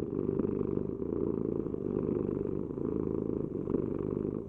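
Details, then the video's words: Cat purr, continuous and low-pitched, a buzzy rumble pulsing gently with each in and out breath. The background is otherwise quiet. "Heal with the ultimate cat purring vibration"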